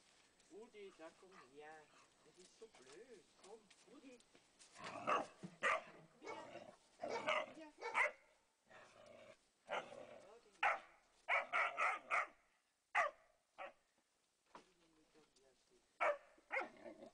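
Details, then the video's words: Landseer puppy pestering a Flat-coated Retriever during play: wavering whiny vocalisations at first, then bursts of rough barks and growls, several in quick clusters through the second half, between quieter moments. "Baby Landseer plagueing a Flatcoated Retriever"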